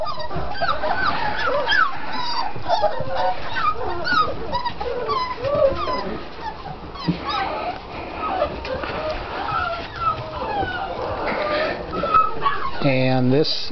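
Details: Litter of six-week-old puppies, offspring of Mystic and Rhino, fills the air with dense overlapping whines and squeaky yelps, some bending up and down in pitch, with handling noise and a brief low burst near the end.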